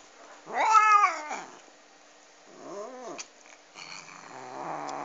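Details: Domestic cat eating a duck bone: two loud, wavering harmonic meows, the first drawn out and rising then falling, the second shorter and arched, followed by a lower, rougher growling sound toward the end.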